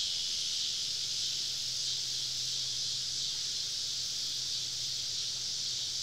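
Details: Cicadas calling on a summer evening in southern woods at a camping spot, a softer yet unbroken high-pitched buzzing wash from many insects, plus a low steady hum underneath.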